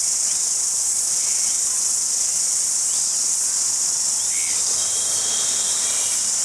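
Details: In Jelly Park, Christchurch, New Zealand, during February 2010, crickets keep up a constant shrill trill, over which faint short rising chirps and a thin whistled tone appear toward the end.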